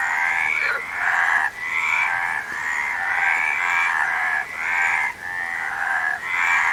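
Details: Frogs croak in a continuous, rasping chorus. The buzzy, rattling calls blend together, with only short drops in loudness every second or so.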